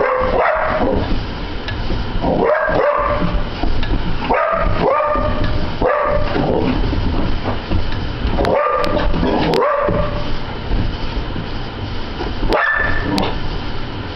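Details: Sophie, an obsessive Border Collie, barks at a ceiling fan in June 2009: sharp barks, singly or in pairs, come every one to two seconds over a steady whirring fan hum.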